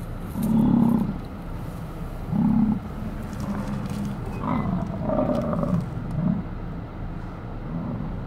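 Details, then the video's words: American bison during the rut in Hayden Valley, Yellowstone: deep, rough roaring bellows, two loud bursts in the first three seconds, then a run of softer, rumbling groans. "Bison Rutting Yellowstone"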